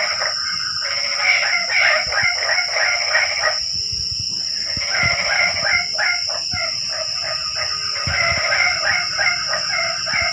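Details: Frogs enlivening a quiet rainy night, several callers trading rapid stuttering croak series with a brief pause near the middle, set against a continuous high-pitched whine.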